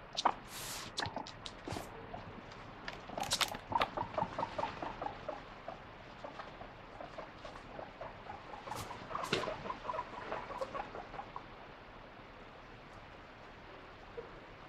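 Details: Pet guinea pig grumbling over a withheld treat, wanting vegetables: quick runs of short squeaky 'puipui' notes in clustered bursts, with scattered rustling and handling clicks in a small room.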